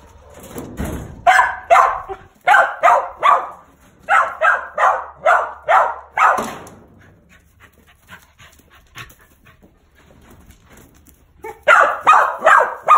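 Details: A male mountain feist squirrel dog called Bob barks in quick bursts, pauses for several seconds of near quiet, then resumes a rapid string of barks.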